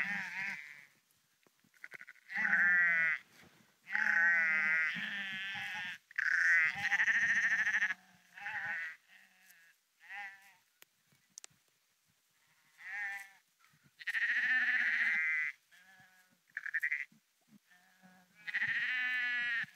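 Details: Several sheep walking along the Porrenkoogdeich near Husum, Nordfriesland, bleating in bursts: quavering, harmonic calls of differing pitch, some overlapping, separated by quiet pauses with faint footsteps and rustling.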